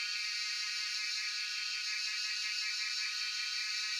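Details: Continuous shrill whirring of cicadas (jhyaukiri) in Shivapuri National Park, Tarkeshwor, captured by cellphone; an unbroken high buzz with a subtle throbbing texture and no gaps, nothing else clearly audible.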